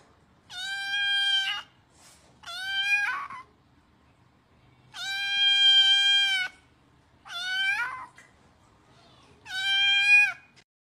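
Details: Kitten asking to be fed, a steady series of shrill harmonic meows, long flat cries mixed with brief downward-bending ones, roughly two seconds apart, no other sounds.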